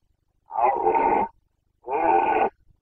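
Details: Rutting Carpathian red deer stag, Bucovina, Romania, 2021 breeding season: two loud, rough, sustained bellows, each close to a second long, separated by a short pause, with a quiet background.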